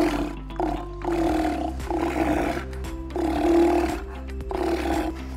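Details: An aquarium Steller sea lion gives deep, rasping, low roars in long bursts over soft music; the roar serves to communicate, defend territory and identify pups returning from fishing; males and females are equally loud and deep.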